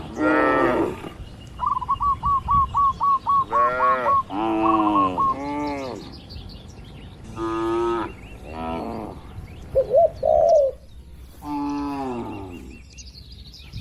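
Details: Grazing cattle herd in a wide village pasture. Short and long moos come in bursts with pauses, while a bird's quick chirps repeat in a rapid series and other faint bird calls occur.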